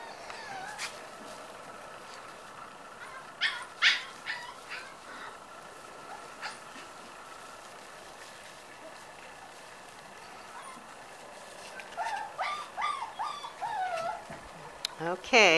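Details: Several 5-week-old Corgi puppies, upset at being kept from coming through an opening they know, whimper and whine in scattered high thin bursts, with a busier run of rising and falling yips toward the end and occasional knocks and clicks.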